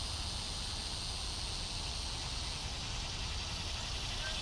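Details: Cicadas in Bonaventure Cemetery, Savannah, Georgia, on July 5, 2010, in mid-morning. Species present are Neotibicen tibicen, Neotibicen similaris and Neocicada hieroglyphica. A dense, steady high shrill buzz fills the whole stretch, with low background rumble.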